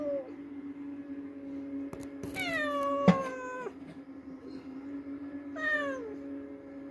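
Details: Cat calling after catching a mouse, indoors: a long, loud descending meow, a sharp click partway through, then a shorter falling meow, with a constant background hum.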